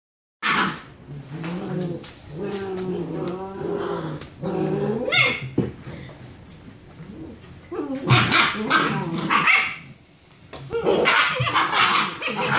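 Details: Six-week-old German Shepherd puppies play fighting after dinner, from a litter of three males and four females; harmonic whiny growls and yips from several pups overlap, with sharper barks and squeals bursting in after eight seconds.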